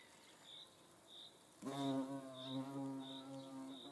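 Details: Hornet buzzing during a nature observation in the Eifel. After a quiet start with soft high chirps about every 0.6 seconds, a loud, low, humming drone with stacked overtones begins suddenly and keeps going, wavering slightly in loudness, to the end.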